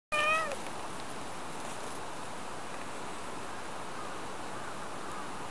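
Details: Kohaku, a Siamese cat in the Japanese countryside mountains, comes over after climbing a tree and touches its owner's leg. It gives one short, slightly falling meow at the start, followed by quiet outdoor hiss.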